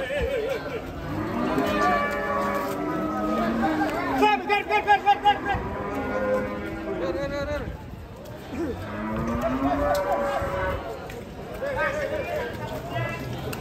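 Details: Huge, agitated Pegon cattle coming down off a truck; low, drawn-out lowing moos blend with overlapping human voices and shouting throughout, with a burst of rapid pulsed sound near the middle.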